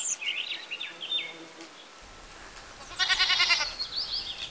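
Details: Village goat, one of a herd that includes a baby goat, gives a single wavering, pulsed bleat lasting about half a second late in the recording. Chirping and twittering birds fill the opening seconds and continue softly behind it.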